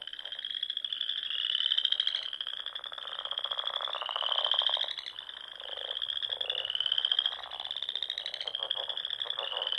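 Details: Spring chorus of frogs at dusk by the ponds of Nebraska's Sandhills; buzzy, rapidly pulsed trills climb gently, one overlapping trill roughly every two seconds, with lower, softer pulsing voices beneath.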